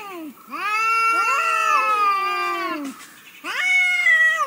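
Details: Domestic cat meowing indoors in a funny compilation: two long, drawn-out, strongly harmonic meows that slide down at the end, a short pause, then a third rising meow beginning.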